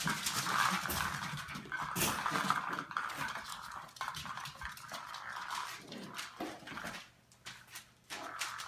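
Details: Playing in their kennel, Australian Terrier pups aged eleven weeks make high whining and squeaky yelps over a busy bed of rustling and scrabbling, with a brief quiet spell near the end.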